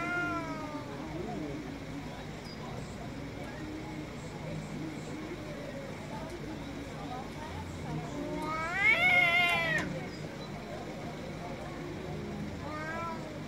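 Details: Loud male cat on an Istanbul street giving a drawn-out, wavering wail in the middle, with softer meows at the start and end against constant urban background noise.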